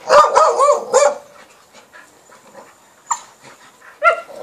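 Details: Nine-month-old male Cane Corso playing with female Entlebucher and Appenzeller dogs; a burst of loud, rapid, harsh barks up front, then quieter pauses broken by two more sharp single barks.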